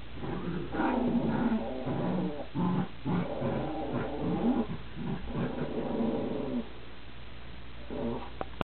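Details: During a tug-of-war game between two dogs, a deep, throaty growl rumbles in uneven pulses, easing off near the end before a brief final burst.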